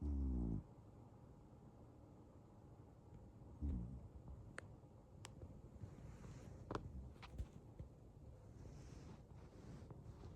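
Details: Male Ragdoll cat Pop sleeping deeply and snoring occasionally: a low, rasping snore opens the recording, a shorter one follows near four seconds, then a faint room hush with a few soft clicks.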